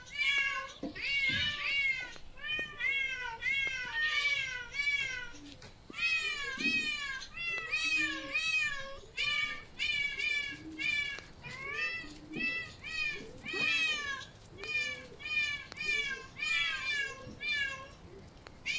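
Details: Rapid, insistent high-pitched meowing from a cat, short falling cries packed closely together for the whole stretch with almost no pause. A faint lower murmur sits beneath.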